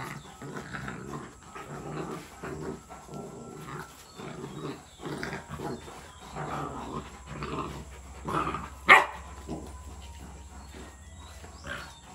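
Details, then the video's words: Rottweiler puppy, 62 days old, in a play fight with its black-and-tan Rottweiler mother; a long run of low, rhythmic, grumbling growls in quick pulses, with one sharp loud yelp-like bark near the end. "Rottweiler Puppy Fight with Rottweiler Mom"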